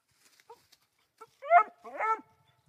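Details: Female Black and Tan coonhound puppy, three months old, barking at a raccoon in a tree on her first coon. Two drawn-out, wavering barks follow a few soft whimpering squeaks.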